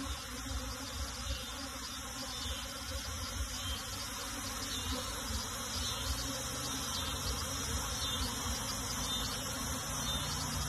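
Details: Honey bees being moved into a box, their constant swarm hum slightly pulsing and bright in the upper range, steady for the whole stretch.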